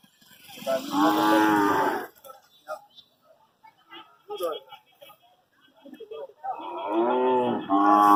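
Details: Young Hallikar stud bull, one year old, shown at the Magadi cattle fair: two loud, full-throated moos, each about a second and a half long, separated by a quiet stretch with scattered voices and clatter.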